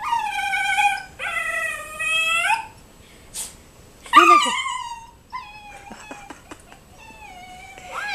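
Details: Indoors, a 12-week-old Siberian husky pup sees a turkey outside and vocalizes: two long, level whining howls, then a sharp bending yip, and quieter trailing whimpers with faint tapping sounds.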